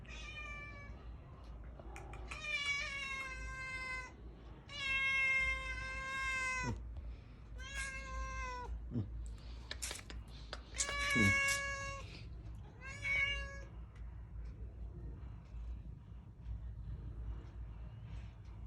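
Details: A new kitten outside in the cold, wanting to come into a room but afraid of the resident cat, gives a series of clear, harmonic meows, some long and wavering, others short, with pauses between.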